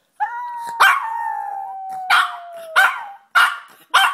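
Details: Yorkshire Terrier indoors, learning and practicing to howl: a long, drawn-out tone that slides slowly lower for about three seconds, broken by short sharp bursts roughly every 0.6 seconds.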